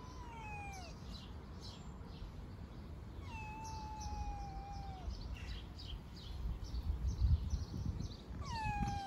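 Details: Young homeless street cats being fed outdoors; several drawn-out meows, each sliding downward in pitch, spaced a few seconds apart, over steady low traffic-like rumble and a high electrical whine.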